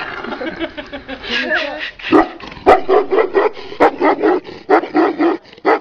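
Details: Tibetan Mastiff barking in a rapid series of short, mid-pitched barks, about one every half second in the second half, after a softer, murmuring stretch at the start.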